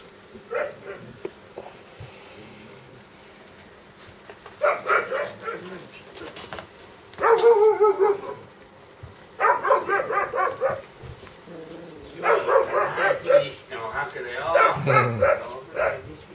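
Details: Dobermann puppy yelping in several separate bursts of shrill, rapid squeaks spread across the recording, with some faint human voices in the background.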